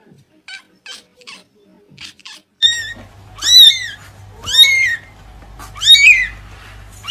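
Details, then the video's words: Kittens meowing, kept at a cattery: faint short chirps first, then three loud, high, arching meows spaced about a second and a half apart, each rising then falling in pitch. "Funny Cats Kitten Meowing Sound Effect"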